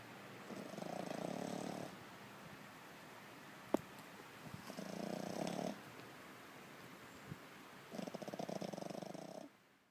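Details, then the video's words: French Bulldog snoring in its sleep, eyes rolled back showing the whites; three rough, rasping snores about 1.5 seconds long, one roughly every 3 seconds, with a sharp click between the first and second. "French Bulldog 打呼兼翻白眼"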